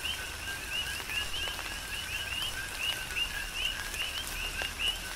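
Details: Tropical rain shower with coqui frogs on Hawaii's Big Island. Clear upward-sweeping chirps from several frogs repeat several times a second, layered over pattering raindrops.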